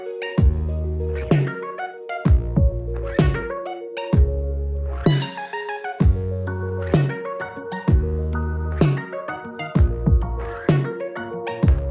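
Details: Electronic music with deep synthesizer bass hits and chiming melodic notes pulses in a regular beat, with no animal sound present.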